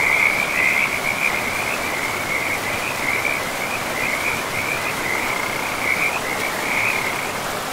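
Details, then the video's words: A frog chorus beside a forest river gives an unbroken, high, rattling trill with slight wavering swells, laid over a constant hiss of running water. "River and Frogs sleep sounds"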